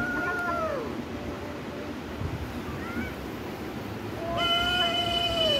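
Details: Cat meowing over steady background noise: a short meow at the start, a faint brief one near three seconds, and a longer falling meow near the end, accompanied by a high steady tone.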